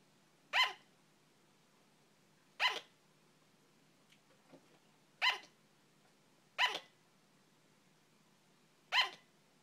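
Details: Pet female sugar glider barking, each bark sounding like a hiccup: five short sharp yaps spaced about two seconds apart, quiet room behind.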